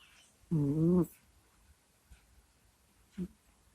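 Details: Sleeping pet cat named Kusya, recorded indoors close to a microphone: a single half-second moaning groan with a wavering tone, followed by near silence and a brief soft snuffle near the end.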